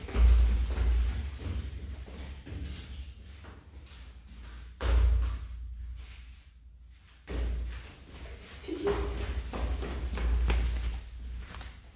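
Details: Indoor thumps and thuds in a room, with faint music and brief speech, and no animal voice heard.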